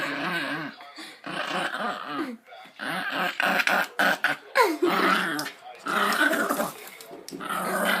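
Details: Pet dog making odd, funny sounds while playing tug-of-war and being petted: rapid, uneven throaty grumbles and whiny growl-like vocalizations in bursts, with brief pauses and some handling noise.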